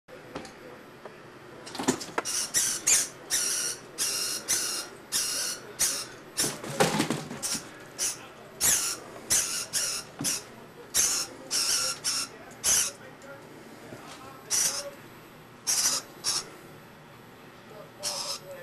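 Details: Flying squirrel indoors in January 1998, squealing while being harassed by Nico. Around twenty short, sharp, high-pitched squeaks come in irregular bursts, some in quick pairs, over a quiet room background.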